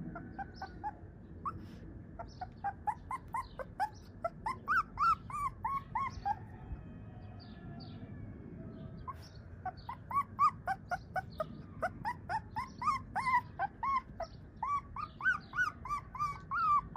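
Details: Siberian Husky puppy giving rapid, high, squeaky whimpers, several short rising-and-falling notes per second in uneven bursts, with a brief lull near the middle and a steady low rumble underneath.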